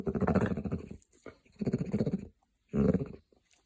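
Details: Copper, a grumpy hound dog, making funny noises: three drawn-out, low, groaning grumbles, each close to a second long, rich in harmonics and separated by brief silent pauses, with no other sounds.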